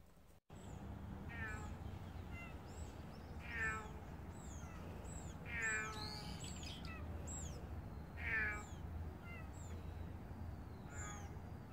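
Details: Stray cat meowing outdoors, giving about five drawn-out, harmonic meows spread over several seconds, some rising then falling, while small birds chirp repeatedly in the background over a steady low rumble.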